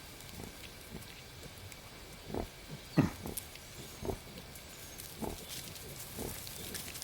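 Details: Wild boar sow with her eight newborn piglets, her first litter, in their forest home. Short low grunts and squeals come in scattered bursts, the loudest near the middle, over a steady rustling background.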